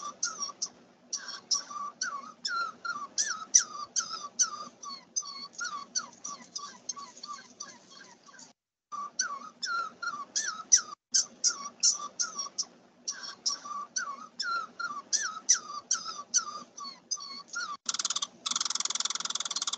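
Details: Red squirrel played back during a frog-survey training quiz, its small shrill cry easily mistaken for a frog: rapid series of sharp, high chattering chirps repeated in bursts with brief pauses, ending in a hiss of noise.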